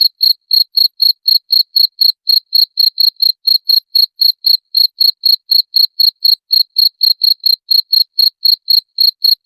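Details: Continuous cricket chirping, used to repel rats. Bright, clipped pulses repeat quickly and very regularly, near four each second, with nothing else audible.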